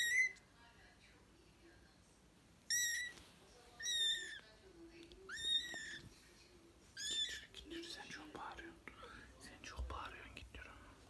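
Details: British and Scottish kittens at play give thin, high-pitched meows: about five short, arching mews spaced one to two seconds apart. Softer breathy rustling and faint murmurs follow toward the end.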